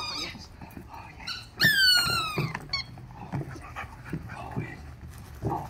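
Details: Lily, a young female Rottweiler being trained in obedience with food and a toy, gives one drawn-out, high-pitched whine lasting about a second that falls slightly in pitch, amid quieter shuffling and light clicks.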